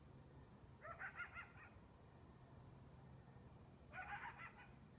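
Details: Lone coyote yelping at 2 am on a balmy, windless summer night: two short bursts of harsh, wavering, harmonic yelps about three seconds apart, quite distant, over a steady low rumble.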